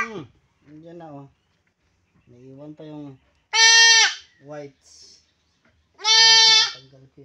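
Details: Castrated goat lets out two loud, drawn-out bleats amid quieter human voices talking nearby, with a few softer short calls between.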